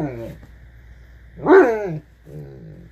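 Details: An 8-month-old blue Great Dane makes drawn-out, moaning vocal sounds that rise and fall like talking.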